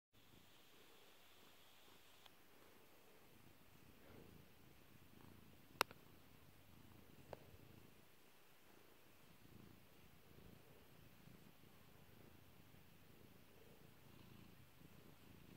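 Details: Pet cat named Kairi purring while being petted indoors; soft, low rumbling pulses run steadily throughout, broken by a sharp loud pop near six seconds and a smaller one later.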